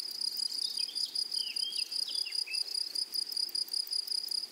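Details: Grasshoppers chirring in a flowering prairie meadow: a loud, high, continuous buzz with quick uneven pulses. A small bird overlays a run of short, falling chirps during the first half.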